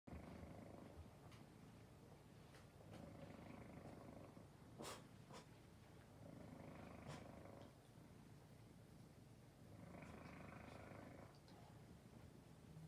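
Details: Domestic cat purring softly while another cat grooms it; low rumbling purr comes in long pulsing bursts of about one to two seconds, separated by quieter gaps, with occasional licking clicks.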